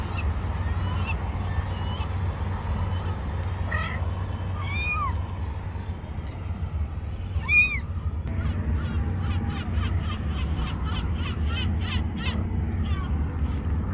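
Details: Kittens hiding under rocks to avoid harm give high, arching meows, a few spaced apart, then a quicker run of short, thin mews near the end, over a steady low engine-like rumble.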